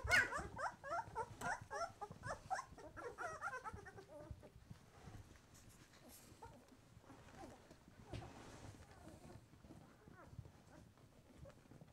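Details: Young White Swiss Shepherd puppies, twelve days old and opening their eyes, make a run of quick wavering whimpers for the first four seconds, then fade to soft rustling and faint scattered squeaks.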